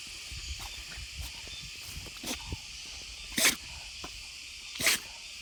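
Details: Gonta, a beagle-like dog on Amami Oshima, sneezing as cold weather sets in: two sharp, explosive bursts roughly one and a half seconds apart, rising out of a steady background hiss with faint rustling between them.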